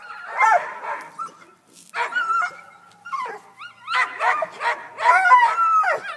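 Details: Tucker, a Black and Tan Coonhound still up the tree he climbed after a cat, gives choppy yelping barks and short whines, clustered in quick uneven bursts that grow denser toward the end.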